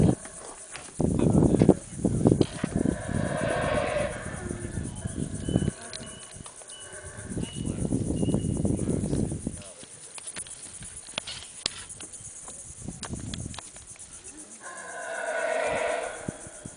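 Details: Howler monkeys roaring in the early morning in the Tikal jungle, heard from atop a Mayan temple: three long, deep, rasping roar bursts of several seconds each, separated by quieter gaps with faint forest background.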